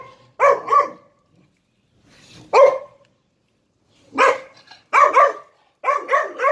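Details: Three-month-old puppy showing alpha dominance, giving sharp, high yapping barks, often in quick doubled pairs, in bursts separated by short silences, about eight barks in all.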